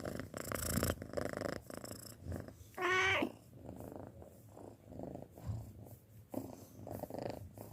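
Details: A six-month-old pet cat purring indoors, soft rhythmic rumbling breaths rising and falling, with one brief higher meow-like cry near the third second.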